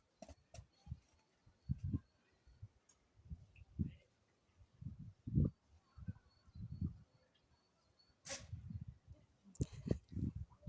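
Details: Lion Ito-chan at Maruyama Zoo, recorded 28 February 2025, giving a run of deep, throaty grunting bursts spaced roughly a second apart, with a faint steady high tone and a few sharp clicks behind.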